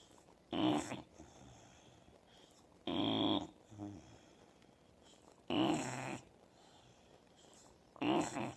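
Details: Sleeping Old English Bulldog snoring in a small room, with four strong, harsh snores spaced about two and a half seconds apart and softer rattling breaths between some of them.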